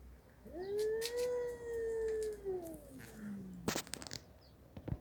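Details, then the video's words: Domestic pet cats, Mickey and a red cat, with one long drawn-out meow of about three seconds, steady and tonal before sliding downward at the end, followed by sharp clicks and rustling knocks. "Funny sounds😁 MICKEY and the red cat"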